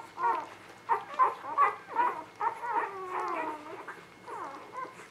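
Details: Newborn puppies, spring 2017, squeaking in short, high, wavering whimpers, several bursts in quick succession with brief pauses between them.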